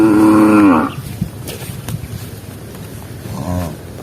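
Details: Tame cattle from a herd roaming rice fields in search of grass: one loud, steady moo of under a second, later a much fainter distant moo, with low rumbling field noise between.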